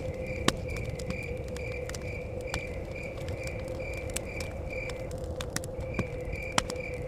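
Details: Continuous pulsed chirping of crickets by a cabin in the forest, briefly pausing near the end, with frequent crackling fire snaps and a low rumbling wind.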